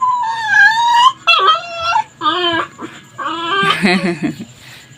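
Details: A Labrador on a leash, straining to be let loose to play and seeming angry, cries in a series of drawn-out, high, wavering whines, some rising and falling, ending in a rougher, broken whimper.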